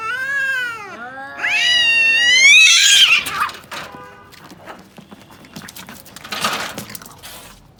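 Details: Domestic cat fighting, letting out loud wailing yowls that dip and then climb into a harsh high screech, followed by scuffling noises and quieter scattered sounds.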